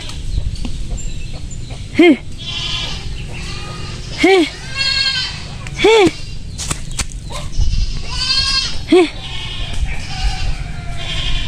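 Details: Goats on a farm being driven away from plants they damage give four loud, wavering bleats, each arching up and down, roughly two to three seconds apart. A man speaks between them over constant background hiss.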